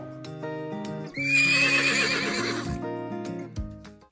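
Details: Horse neigh: a single loud, quavering whinny lasting about a second and a half that starts high and shakes downward, set over steady background music with soft beats.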